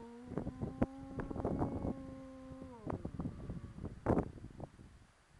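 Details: Arko, a pet dog howling when bored near the entrance gate of his yard, holds a steady, level tone for nearly three seconds before it slides downward, with clicks and knocks sounding over it.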